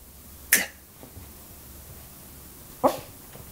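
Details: Yorkshire Terrier puppy named Benny, from Samsun, Turkey, indoors in a small room: two short, sharp, high yaps roughly two seconds apart, with a quiet background between them.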